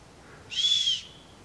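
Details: Chamois (Rupicapra rupicapra), alarm whistle.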